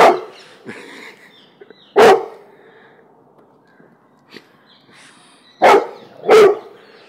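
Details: Cane Corso mix dog (Canis familiaris), bark: fearful barking at a balloon.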